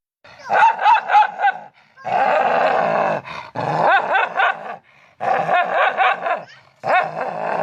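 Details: Chihuahua giving rapid high yapping barks and growly bursts in several runs separated by short pauses, with no other clear sounds.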